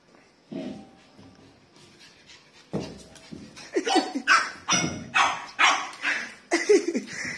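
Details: A pug puppy, suddenly startled at seeing a gas cylinder, gives a run of sharp, high, yappy barks that quicken into a burst near the end.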